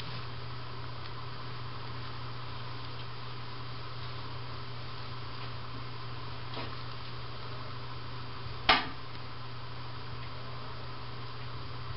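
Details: Steady low mechanical hum fills a small indoor room, broken once by a single sharp knock, with no animal sounds.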